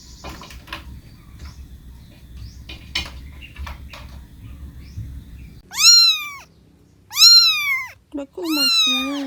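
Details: A cat gives three loud, clear meows after a stretch of quiet indoor rustling and light clinks of dishes. Each meow rises and then falls, and the last is longer and drawn out.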